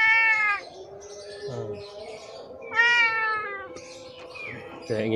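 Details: Stray cat suffering badly from scabies, starving and thirsty, crying for help at a house in Indonesia: two strong wavering meows with rich harmonics, short lower sounds and a faint voice between them, plus a low constant hum.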